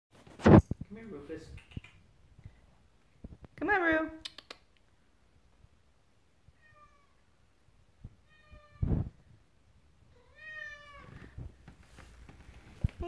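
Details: Male pet cat carrying a slipper into a room indoors, meowing to announce he is bringing it in; three drawn-out, wavering meows spaced several seconds apart, with a sharp knock at the start and a short burst of human voice.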